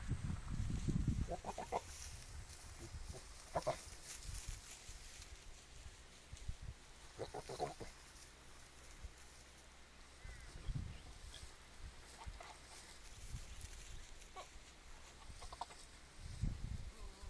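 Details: Goats recorded on an Android phone: short, rough bleating bursts at about 1.5, 3.5 and 7.5 seconds, with a few fainter calls later, over steady low rumbling handling noise and thuds.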